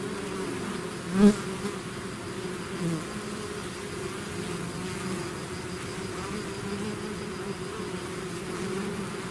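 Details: A bee swarm pouring out of its hive, a steady low drone with bands near 200 and 400, one brief louder bee passing close early on, no other sounds.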